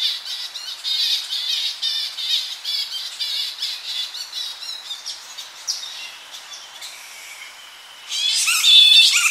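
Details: Evening squabble among young bats in a Tonga flying fox colony, heard close: rapid shrill squeals for about five seconds, then a quieter lull before a sudden loud burst of piercing calls, with slight wind in the tree.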